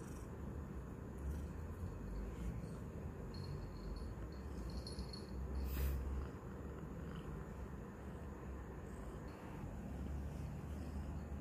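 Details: Roxa, a newly adopted kitten that is still shy of noises, purring loudly while licking and biting her owner's hand indoors; a steady low rumble throughout, with faint rustling and a brief click near the middle.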